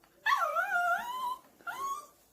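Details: A puppy whimpers in a long, wavering whine that dips and then climbs, followed after a brief pause by a second, shorter whine. The sound is high and nasal, indoors in a small room.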